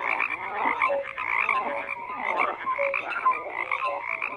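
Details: A crowd of frogs croaking at once: rough pulsing croaks layered into a constant wall of sound, with brief whistle-like notes now and then above the chatter.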